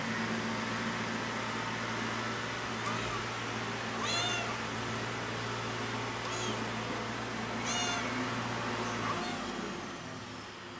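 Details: Cat named Pretty meowing very loudly, missing its mother; a few sharp, high meows spaced a second or two apart over a steady low hum and background noise.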